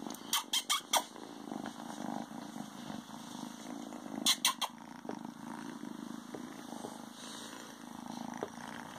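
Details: A young male Ragdoll kitten hiding in pants, filmed days after being brought home, keeps up a low, even purr, broken by two quick bursts of sharp clicking taps near the start and middle.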